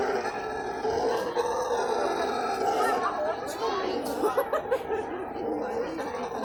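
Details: At the Guarulhos zoo a brown howler monkey screams in a dense, growling drone of stacked tones, steady throughout, with a few brief sharp clicks and chirps over it near the end.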